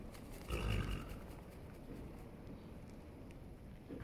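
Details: One deep, short grunt from a rolling Holsteiner horse, followed by a quiet, low rumble and faint rustling.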